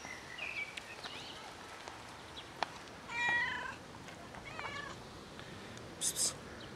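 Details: ['Heavily pregnant black cat calling for attention with two clear, tonal meows midway, between fainter squeaks, scattered clicks and a brief hissing noise near the end.']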